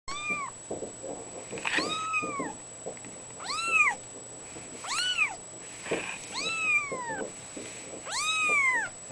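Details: Two-week-old fawn female Abyssinian kitten, born in June 2011, calls repeatedly with five or six high, arched meows that rise then fall, against a faint steady high-pitched tone.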